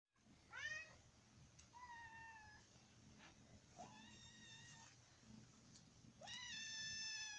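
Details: Domestic cat meowing while being poked, giving about four clear, drawn-out meows, each bending up then sliding down, with short pauses between them in a quiet indoor setting.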